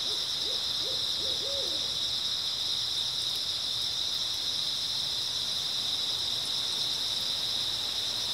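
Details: Grass insects on an early autumn night: a steady, dense high-pitched chirping drone fills the whole clip, while a short run of owl hoots sounds low in the background near the start.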